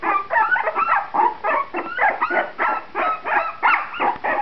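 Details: Puppies of Shenna's C litter, two and a half weeks old, eyes open and becoming active; repeated whiny squeals come in pulses of about three per second, several voices overlapping in short bursts.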